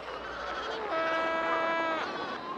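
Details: Seal pup in a colony, recognising a distant voice and calling back. A long, nasal, bleat-like cry is held steady for about a second, after rougher, noisier colony sounds.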